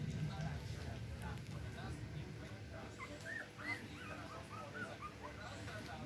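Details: Chihuahua puppies kept with an older sister acting as their nanny; thin, high squeaky whimpers with short rising-falling arcs come in scattered bursts through the second half, over a steady low rumble and murmuring in the room.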